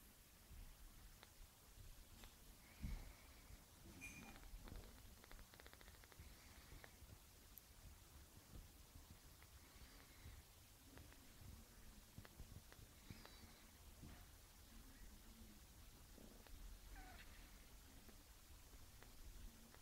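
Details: Bruce, a one-week-old kitten, purring softly: a faint, steady low rumble runs throughout, with light rustling and a few brief higher squeaks over it.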